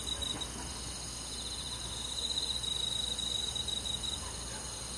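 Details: Crickets on a summer night in the countryside: a chorus of high, fine trilling, with one pulsing thread swelling between about two and four seconds over a steady hiss of other insects.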